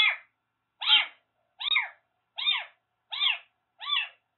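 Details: Daichi, a rescued Siamese mix kitten once living as a stray in Kagoshima, meows insistently indoors: six bright, arched, harmonic-rich calls spaced under a second apart, otherwise quiet.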